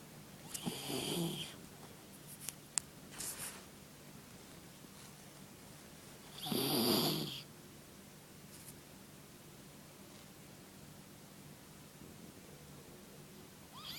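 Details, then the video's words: Sleeping puppy snoring softly indoors: two breathy snore bursts about six seconds apart, the second louder and longer, with faint clicks between and a steady low hum in the background. "my puppy snoring"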